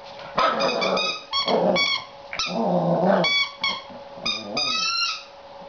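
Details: A seven-week-old Border Collie puppy, female, frustrated with a new toy, mixes throaty growls with high whining yips and squeaky rising cries in quick succession, ending on a long wavering whine.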